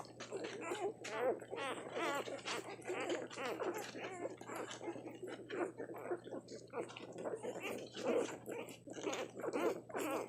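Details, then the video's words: Tiny hungry newborn puppies nursing make a continuous stream of squeaky, whimpering and grunting sounds, overlapping and busy throughout, with a steady low hum underneath. "Tiny hungry newborn puppies nursing. Pups making puppy sounds"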